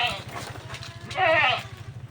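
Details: Goats herded out to graze on land beside a cultivated farm plot; one short, quavering, wavering bleat rises in the middle, with a man talking before it and a low steady hum running throughout.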